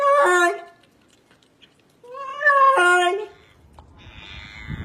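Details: Domestic cat making strange, funny sounds: two loud, harmonically rich meows about two seconds apart, the second longer with a stepped, warbling pitch, then a quiet rustle.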